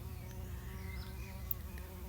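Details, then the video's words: Bumblebee at work on cassia flowers beside a garden crib wall, 24 November 2020; a soft, continuous droning hum with faint overtones holds steady, with a brief sharp click near the middle and low background rumble. "Hearing a bumblebee at work."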